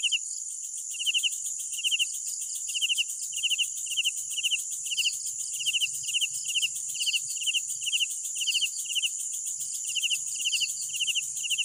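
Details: Crickets calling at night, paired pulsed chirps repeating steadily about twice a second, bright and trilling, backed by a dense hissing insect chorus and faint secondary callers.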